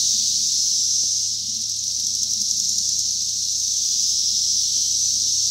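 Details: Cicadas recorded in 2021 form a continuous, high, hissing buzz that holds steady throughout, with no breaks and only slight swells in loudness; a faint low hum sits underneath.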